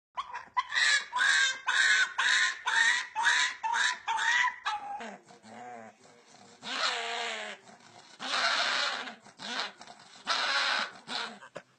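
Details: A dog making funny vocal sounds: a run of about ten high, harmonic yelping cries spaced roughly half a second apart, then lower, drawn-out moaning and rough whining notes of varying length.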